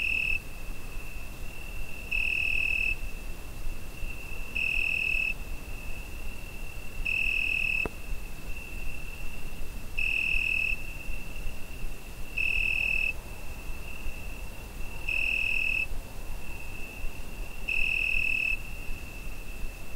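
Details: Crickets singing through a summer night, Zoom H5 recording: a constant shrill, pure-toned trill with eight brighter surges, each under a second, repeating about every 2.5 seconds, plus one brief click and quiet low-pitched background noise.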